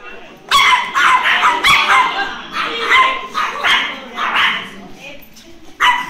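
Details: Chihuahua at a meetup with other chihuahuas and their owners, greeting a new chihuahua: rapid, high-pitched yapping barks in dense runs, pausing near the end, then one more bark, with voices in the background.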